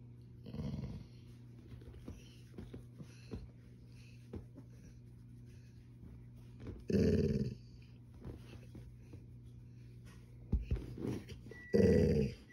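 A Golden Retriever gives low, rumbling growls in short bursts to demand attention.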